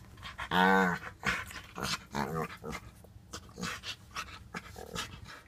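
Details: Storm and Bellatrix play together on July 2, 2014: a white French bulldog puppy of five months and a five-year-old blue nose pitbull. A sharp tonal whine opens, followed by panting, huffs and scuffling noises.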